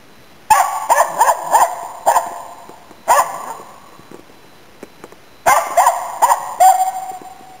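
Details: Finnish Spitz named Nella barking while hunting waterfowl and game birds in Inari, Finland, autumn 2010; sharp high barks in quick bursts of four or five, a pause of about two seconds, then another burst ending in a drawn-out yelp.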